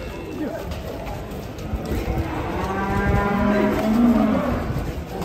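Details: A giant Pegon bull, restless while being unloaded from a truck, gives a deep, steady moo that swells in loudness toward the end, over background chatter and handling noise.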